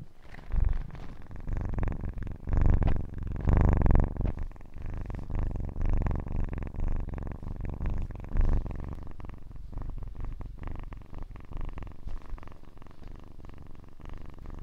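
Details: Kitten purring: a low, continuous rumbling purr with a pulsing rhythm, louder surges around the third and fourth seconds, then settling into a steadier, softer rumble.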